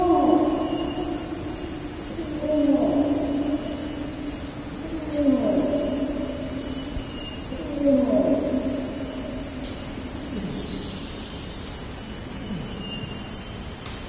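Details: Far-off adult male Bornean orangutan long call in rainforest, eerie echoing bellows dropping in pitch and fading over successive calls, under an unbroken high insect drone.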